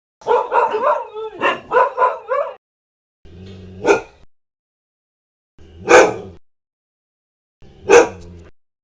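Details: Aggressive dog barking: a rapid burst of about six yapping barks, then three louder, separate barks about two seconds apart, each with a faint low rumble before it, otherwise quiet.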